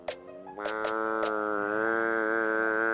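An American bullfrog lets out a drawn-out, wailing scream, rich and nasal, that holds an even pitch after a few sharp clicks at the start. The cry is part of the frog's defense.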